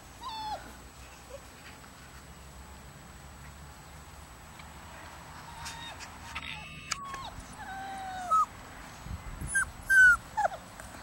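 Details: Puppies from a 34-day-old litter giving scattered short whines, thin and falling in pitch, sparse at first and more frequent toward the end, with a few brief squeaky yips over low background noise.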